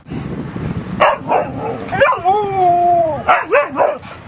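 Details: Dog playing at Seal Point Dog Park on the western side of San Francisco Bay, August 10, 2015, with Rosy and Rocky: a few sharp barks, then a long, smooth, slightly falling whine, followed by quick repeated barks over a low rumbling background.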